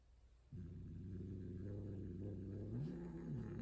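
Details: Female tortie Persian cat yowling loudly while mating indoors with a white odd-eyed male: a sustained, low, growling moan that holds steady for about three seconds, then lifts briefly near the end.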